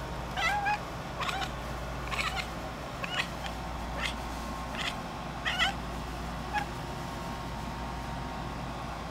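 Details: Domestic cat chattering at a bug on the ceiling, a run of short staccato clicks and chirps spaced roughly every half second to second across the span, steady low indoor hum behind.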